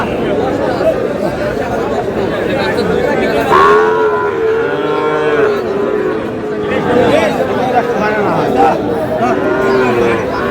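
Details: At the opening of trading at Aftabganj market, Dinajpur, on 13 June, a Sahiwal bull calf gives a wavering, bending moo midway through, with buyers and sellers haggling loudly all around.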